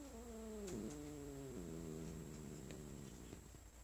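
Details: Pet cat, female, on her owner's lap indoors, growling at being petted after a cough; low rumbling growl sliding downward in pitch, followed by a steady vibrating rumble, under a constant electrical hum.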